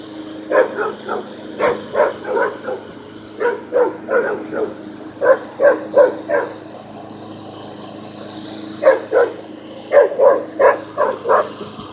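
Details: Puppy confronting a running lawn mower, barking at the moving machine: rapid yaps in runs of three to five, about three a second, separated by brief pauses, over the continuous engine drone.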